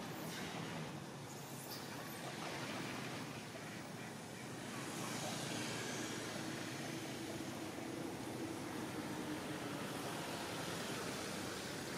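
Steady roar of passing traffic with a faint engine hum, and no animal voice.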